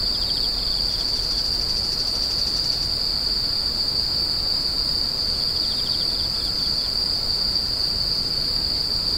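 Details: Unbroken high-pitched insect trill rings evenly from start to end, joined by short bursts of lower, stuttering chirps near the start and again later, over faint steady background noise.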